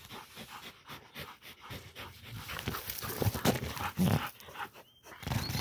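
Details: Female Pit Bull catching a peccary: quick breathy huffs repeat through the clip, rising into louder rough bursts near the end, with rustling and scuffling noise around them.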